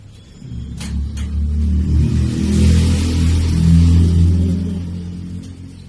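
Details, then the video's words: Chloe, a sleeping dog, snoring: one long, deep, rumbling breath that swells gradually and then fades away, with a couple of faint clicks near the start. "SNORING DOG"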